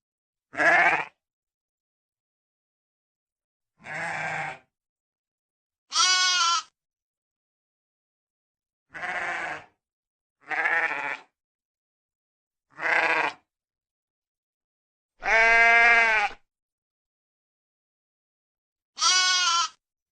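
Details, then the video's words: Repeated bleats from sheep, eight short calls across twenty seconds at irregular gaps, alternating between high clear tones and lower hoarse wavering ones, one longer and louder near the end, silence in between. "koyun sesi"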